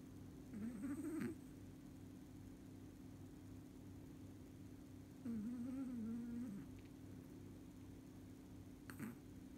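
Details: Sleeping Chihuahua snoring in a human-like way indoors: two drawn-out, whistling, wavering nasal tones about four seconds apart, the second longer and steadier, over a constant low pulsing room hum with faint clicks.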